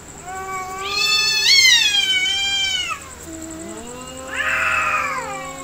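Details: Two cats in a real fight: a loud, drawn-out yowl with many harmonics that rises and wavers for about two seconds, a brief pause, then a second shorter, rising-falling wail, over a steady high electronic whine.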